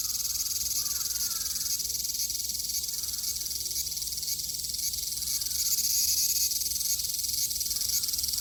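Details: ['Cicadas singing in Japan in summer 2022: a dense, steady, high-pitched electric hiss fills the air without pause, swelling slightly near the end, with faint soft bird notes underneath.']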